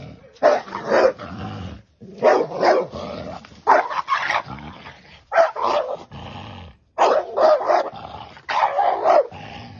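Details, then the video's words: Dog barking while attacking and killing a snake: harsh, rough barks fired in quick clusters of two to four, separated by brief pauses, with growling edges and a steady, agitated rhythm throughout. "dog kill snake"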